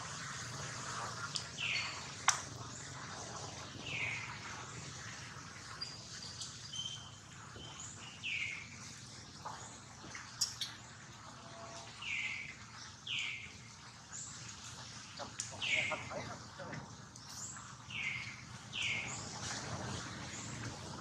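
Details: Baby monkey Daniela crying while being attacked by Queen Dolley as Dana tries to take her back. High squealing cries slide downward and repeat about every two seconds over a steady hiss, with sharp clicks and thumps throughout.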